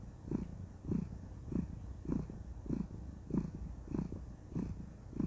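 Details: Pet cat, female, purring with contentment as she is cuddled; deep throbbing pulses come in an even rhythm, close to 100 per minute, over a faint low hum.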